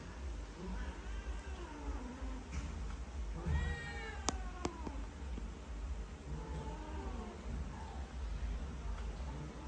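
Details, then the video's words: Unhappy cats in Cambodia, trying to run away while being given vitamins, let out a few drawn-out, wavering meows that rise and fall, half-buried under a steady low rumble of background noise, with a couple of sharp clicks in the middle. "All my cat Not happy and try to run away from me, when I give the Vitamin to them! FTC Meow"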